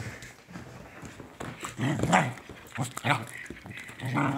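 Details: Gnarlie, a female pet dog, during morning playtime, excited as a person moves slowly and strangely while staring at her; two short, sharp barks near the middle among low growly sounds, with a person speaking throughout.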